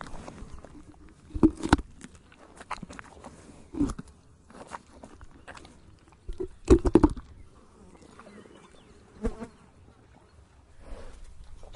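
Loud, dry crunches and splintering snaps come in uneven bursts as a horse gnaws on tree bark, with quieter grinding between them. A faint buzz of flies hangs in the background.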